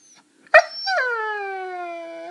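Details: Pet Saluki bitch indoors telling her owners about her day: after a sharp yelping onset, one long, steady howl that slowly falls in pitch and holds for nearly two seconds.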